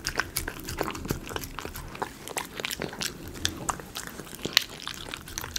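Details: A Miniature Schnauzer munches chicken pot pie dog food near the microphone for ASMR, giving steady bright crunches and moist clicks, several a second, with a faint low background hum.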